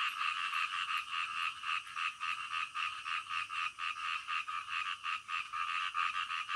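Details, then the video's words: A frog croaking at night, clearly pulsed at roughly two croaks per second over a steady background chorus of other frogs. "SUARA KODOK DITENGAH MALAM"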